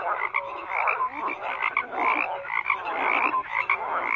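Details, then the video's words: Crowded frog chorus: rapid overlapping croaks and quick chirping notes packed closely, a constant throbbing din of many callers. "FROGS CROAKING"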